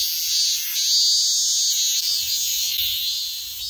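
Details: Minmin cicada screaming: a continuous, loud, high-pitched buzzing drone with slow pulsing swells in intensity throughout, with faint low rumbling in the background.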